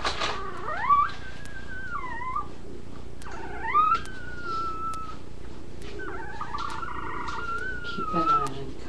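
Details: Puppies whining: long tonal whimpers that slide up and then level off, some breaking into wavering, stepped tones. They come in several drawn-out bursts over a steady low hum, with faint clicks.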